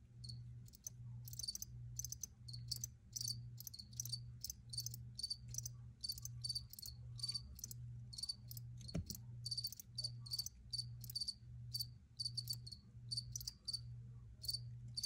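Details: Dense cricket chirping, high thin pulses repeated in quick clustered bursts almost without pause, over a faint rhythmic low hum and one brief thump midway.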